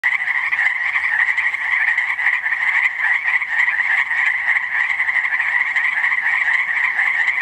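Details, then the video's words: At Langdon Lake, Oregon, a dense chorus of frogs chirps together in a steady, high rattling trill with no break. "Frogs chirping at Langdon Lake, Oregon"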